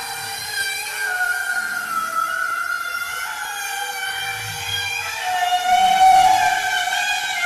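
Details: Bowhead whale (Balaena mysticetus): a long, wavering, harmonic-rich tonal call that swells and rises near the end, possibly not the full call.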